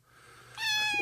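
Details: Rescued kitten Snowball, found lost and abandoned on a street, malnourished with infected eyes, utters a bright drawn-out meow with strong stacked harmonics, level then slightly falling, after a quiet faint lead-in; a brief low sound follows at the end.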